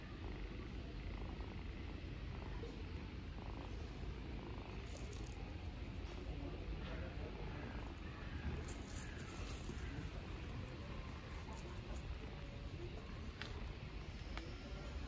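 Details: Stray ginger kittens on an Istanbul street purring while clinging to the person who feeds them, not wanting her to go home; a continuous deep, even rumble fills the recording, with occasional soft rustling and faint voices.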